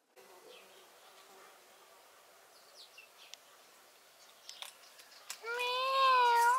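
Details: Domestic cat meowing: after several seconds of quiet room tone with faint clicks and taps, one loud, drawn-out harmonic meow with a wavering, gently undulating pitch fills the final second.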